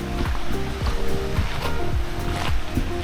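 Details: Background music plays over the wash of sea waves and boat noise, with no animal sound.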